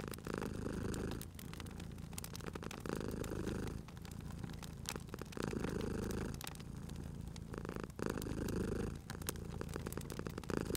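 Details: Cat purring beside a crackling fireplace, a steady low rumble swelling and easing in breath cycles about every two and a half seconds, with sharp pops and crackles of burning wood throughout.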